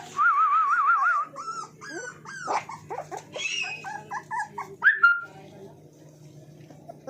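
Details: Puppy offered for sale in India gives a long wavering high whine, then a run of short yips and breathy whimpers rising and falling, over a steady low electrical hum.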